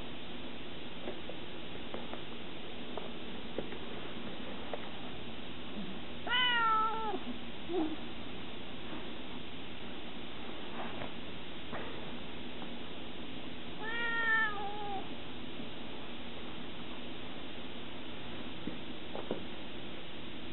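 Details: Savannah cat Scirocco, 20 weeks old, gives two drawn-out meows about seven seconds apart. Each is harmonically rich and rises then falls. A few soft clicks and a steady low hum sit underneath.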